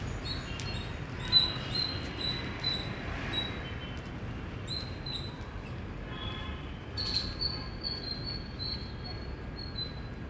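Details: Indian squirrel giving loud, high, piercing chirps in short repeated bursts, with brief pauses, over a steady low rumble of background noise.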